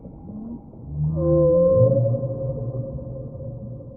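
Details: Whale call in deep-sea waters: a loud, held tonal cry that rises sharply, then sustains with layered overtones for about three seconds, set over deep rumbling background noise.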